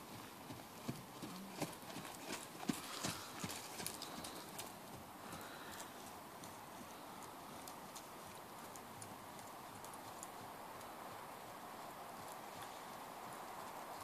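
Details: Hoofbeats of a mare born in 2009: a burst of sharp, irregular clicks and thuds in the first five seconds, then fewer, fainter knocks under a steady broad hiss.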